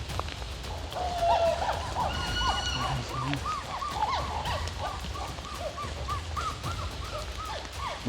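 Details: Wild chimpanzees moving unseen through the forest canopy overhead in Uganda's rainforest; a quick succession of short arched hoots runs throughout over a low background murmur.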